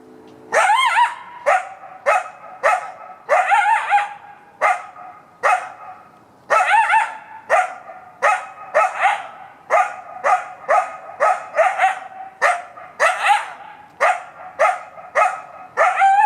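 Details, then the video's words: Wild coyote in Buena Vista Park woods on a Sunday morning, 7 May 2017, barking for over 20 minutes: short, high yapping barks repeated steadily, some longer wavering yelps mixed in, little background noise. "Coyote Barking in Buena Vista Park"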